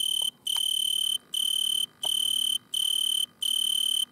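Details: Singing Italian tree cricket perched in a butterfly bush at night under red light. Bright, clear, high trills about half a second long are separated by short pauses, with a few faint clicks between them.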